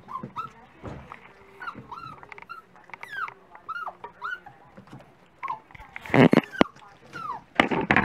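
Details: Several Dachshund puppies at breakfast time give a stream of high, arched whines and squeals, some rising and falling, overlapping one another, with loud clattering knocks near the end.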